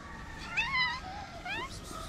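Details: Homeless street cat in Morocco coming up to a person who feeds strays, meowing; two drawn-out wavering meows, the first longer and rising then falling, the second shorter and sliding upward, with faint background noise.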